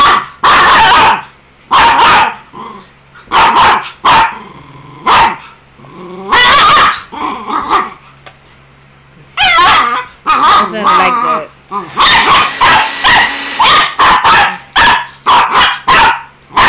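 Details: Jagger, a pet pinscher scared of and hating the blower, barks in sharp repeated bursts, clusters of yaps broken by short pauses, growing into a fast volley of barks near the end.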